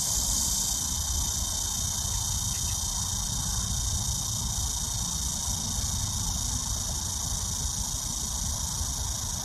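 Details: Early summer cicadas, a dense sustained high whining buzz, slightly stronger in the first second, running evenly throughout above a low rumbling background.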